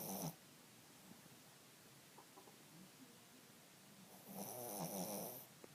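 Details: Sleeping 17-year-old female pet dog snoring indoors, quiet rasping breaths: one short burst at the start, then a longer, louder rough snore late in the clip after a near-silent pause.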